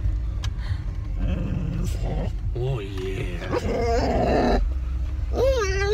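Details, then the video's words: On arrival at the dog park, female dog Ellie, impatient to get out of the car and play with other dogs, lets out short bending whines and a rising cry near the end, mixed with a person's talk and low car rumble. "Dog honks horn at other dogs when she wants to play!"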